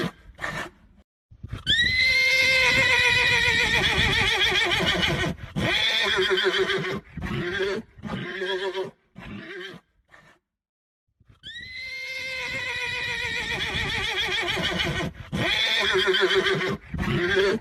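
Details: Two long, trembling horse whinnies, each lasting several seconds and breaking into shorter pulsing bursts near its end, separated by a brief silence.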